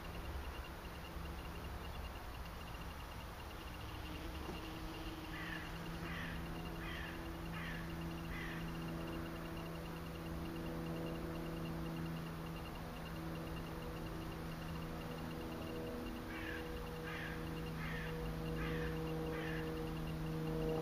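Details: Hoverfly recorded in the Berggarten in Hanover, Germany: a low, steady hum with stacked tonal bands runs through the recording. Faint short chirps repeat in two bursts, early and late, over a quiet garden background.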